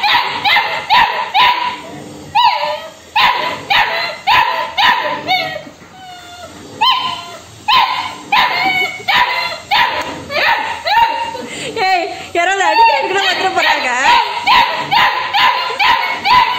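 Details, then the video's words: A female Labrador Retriever puppy demands food, arguing with her owner in a long run of sharp, high yipping barks about two per second, some breaking into whines. A woman scolds her in Tamil between the calls. "Labrador puppy asking for food|arguing with mom for food"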